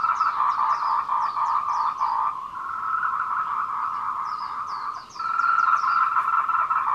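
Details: Chorus of courting tree frogs on the Meiling Wulong Trail, Nanxi, Tainan, Taiwan, 14:00 on 26 April 2018, recorded on a Canon PowerShot SX720HS; loud throbbing calls overlap continuously with runs of five or six quick high chirps, dipping briefly near the end.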